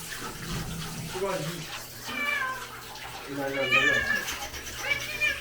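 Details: Pharmacy cat Sol in Hongdae meows during a bath. Three wavering meows rise and fall amid running water, while a person talks over them.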